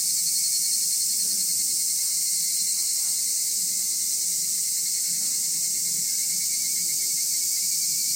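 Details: Park insects near the Nagareyama City Forest Library, Japan, fill the air with a constant high-pitched trilling chorus; a steady lower whine persists and faint low murmurs come and go beneath.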